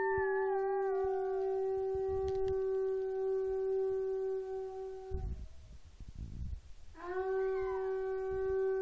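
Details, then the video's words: A female Chihuahua-Miniature Pinscher mix howls along at home while a conch trumpet is practiced. A long, steady horn tone dominates, with her wavering howl over it, then a break and a rising, sliding howl as the horn resumes. "Conch horn makes Chihuahua- Mini Pincher Howl"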